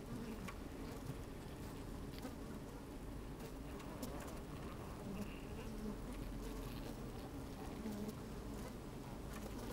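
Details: Honey bees busy at work in an opened hive, captured by a microphone slipped down inside on a sunny day with a bit of wind. A continuous low buzzing hum with faint scratchy movement sounds and soft crackles scattered through.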